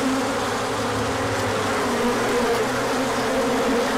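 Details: Orientation flight of many bees on a sunny day after colder weather, March 2024; steady buzzing swarm hum with wavering tones, plus a faint low mechanical drone underneath.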